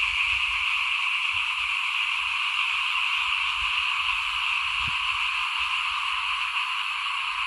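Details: Steady massed calling of frogs outside a house during rice sowing, 2021, many callers merging into an unbroken buzzy shimmer, with a brief low thump near the fifth second.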